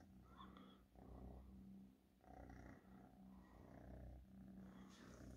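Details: Domestic cat purring steadily, a low rumbling drone with a pulsing rhythm that swells and fades in breaths roughly every second, with faint higher rustling above.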